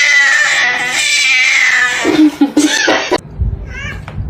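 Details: Pet cat giving a loud, drawn-out, high yowl that holds steady for about two seconds, then breaks into short rough cries before a sudden stop, with a faint rustle after.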